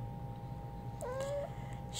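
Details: A hyper kitten wanting to play fetch indoors gives a single short meow, starting with a brief upward chirp and then holding a steady, slightly rising tone for about half a second, over a constant electrical hum in a quiet room.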